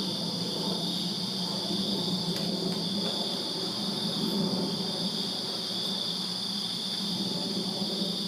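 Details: In a Virginia backyard on a summer night, crickets sustain a high, even, pulsing trill, accompanied by a persistent low rumbling hum and a few short sharp ticks.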